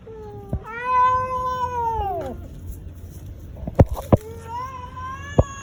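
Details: Domestic cat giving angry, fighting yowls: a drawn-out wavering moan that holds steady then slides downward, a pause, then a second rising yowl, with sharp knocks and clicks between the calls.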